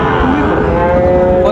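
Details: A Sahiwal bull calf lows at the crowded Raniganj market, Dinajpur, Bangladesh, August 2024. A single sustained moo climbs, then holds a steady tone, with human chatter and market hubbub underneath.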